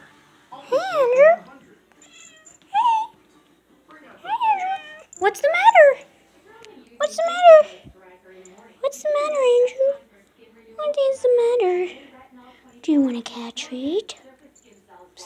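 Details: Domestic cats meowing at their owner indoors: a series of rising-then-falling meows with clear harmonic stacks, one every couple of seconds, about eight calls in sequence, some short and chirpy, others drawn out.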